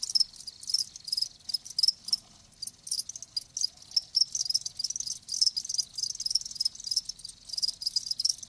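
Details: Live crickets produce a thick wall of shrill, rapid chirps, pulses clustering in uneven bursts, no other clear sounds.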